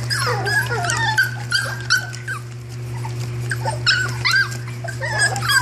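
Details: Litter of puppies, one female whose eyes have turned dark, giving many high, wavering squeaks and whines that bend up and down, overlapping rapidly, over a steady low electrical hum.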